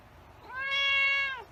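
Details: White cat gives a sustained, clear meow that swells in after a brief rising onset, stays steady, then tails off downward; nothing else audible.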